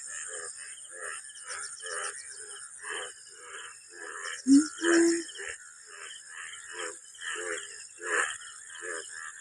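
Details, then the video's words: Rainy afternoon in a rural village at the onset of the monsoon, with rainwater pooled across the fields: many frogs all around the field give rough, pulsed croaks over and over, with a steady insect hum above. "ব্যাঙের আওয়াজটা কেমন লাগছে বলবে।"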